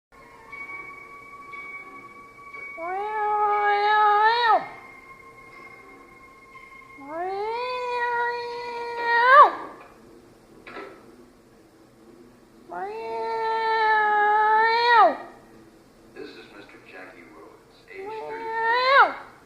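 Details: Angry domestic cat giving long, drawn-out wailing yowls in four bouts, each rising then sharply dropping, rich in harmonics, separated by short quiet gaps, with a faint steady tone in the background.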